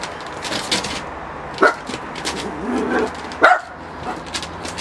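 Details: Miniature Pinscher reacting to a balloon with two short, sharp barks about two seconds apart, over soft background rustling and faint voices.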